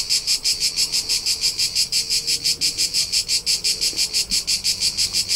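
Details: Tuscany hillside crickets on a summer day in central Italy. High, trilling chirps beat steadily about three times per second, loud and unbroken, with faint low background murmur.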